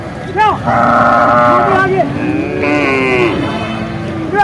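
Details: Bull calves at Vaniyamkulam market in Kerala, India: overlapping drawn-out moos from several calves, one higher and one lower, with brief human voices and market bustle behind.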